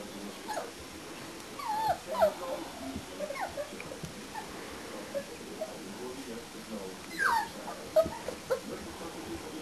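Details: Four-week-old English Springer Spaniel puppies make scattered thin, falling whimpers and squeaks over a quiet room, with soft human voices in the background.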